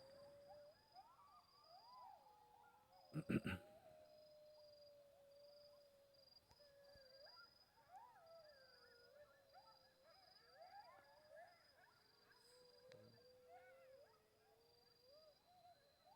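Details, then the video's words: Coyotes at night in the mountains of Aquiares, several voices howling together in wavering, sliding tones broken by short yips. A loud knock sounds near the third second, and a steady high insect tone runs behind. "Así suenan los coyotes en la montaña de AQUIARES."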